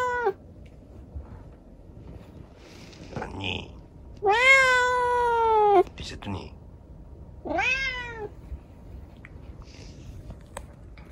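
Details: Rescued kitten with an injured, disabled leg meowing indoors at night: three drawn-out harmonic meows, the middle one longest and loudest at about a second and a half, with soft rustles and faint clicks between calls.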